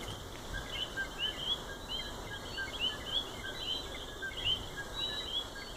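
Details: Coquí frogs in their natural habitat in Puerto Rico chorus with short, sharp upward-sweeping chirps over a steady high insect-like hum.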